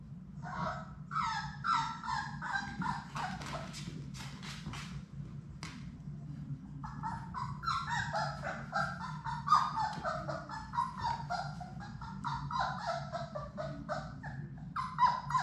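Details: Six Labrador Retriever puppies from Sadie's litter at play in their indoor puppy play room. They give a long run of high, wavering whines and squealing yelps in quick overlapping bursts, with a pause near the middle, over a low steady hum.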